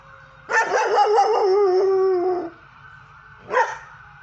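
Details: Belgian Malinois puppy, five and a half months old and 55 pounds, howling in a backyard in response to sirens: a wavering, quavering howl for two seconds sliding downward, then a short rising yelp; no siren clearly audible.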